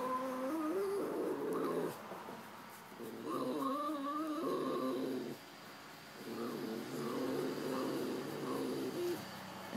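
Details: Tuna, a pet cat, making what she calls a happy growl, mean-sounding but content: wavering, moaning rumbles in bursts of one to two seconds with short gaps, rising and falling in pitch.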